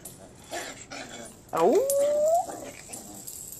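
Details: Old English Sheepdog puppies playing indoors, several littermates together; a single puppy whine rises sharply then holds a long, slightly climbing tone for about a second, with a woman talking softly in the background.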